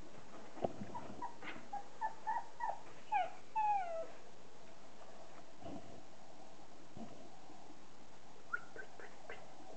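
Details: Border Collie puppies, 30 days old; a few short high whimpers and squeaks in a quick cluster, some sliding downward, then near quiet and a final short burst of thin squeaks.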